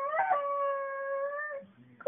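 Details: Seven-year-old female cocker spaniel from Thomasville, North Carolina, howling a song for its owner: one long, steady, sustained howl lasting about one and a half seconds. Quiet praise of 'good girl' follows.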